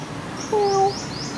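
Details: Single short, level meow from Sona, a friendly pet cat, after food; faint high chirping sounds behind.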